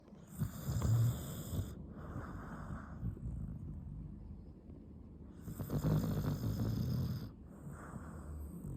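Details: Sleeping pet dog named Haru snoring: two long, low, rasping snores about five seconds apart, each lasting over a second with a faint high whistling edge, a quieter breathy pause between them.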